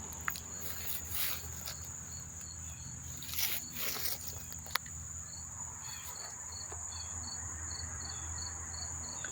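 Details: Chorus of many crickets at Monmouth Park, New Jersey, September 4, 2023: a steady high trill, rustling bursts early on, then a clear run of evenly spaced short chirps in the second half over low hum.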